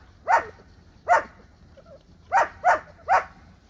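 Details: Rottweiler mother nursing a puppy: five short, sharp barks at uneven intervals, two spaced apart, then a quicker run of three.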